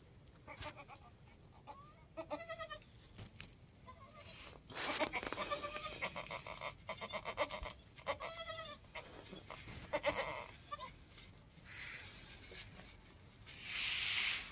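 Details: Goats with two newborn kids, a doeling and a buckling, at their first hour or two on a homestead right after the birth; several soft, quavering bleats come at intervals among rustling and a faint hiss.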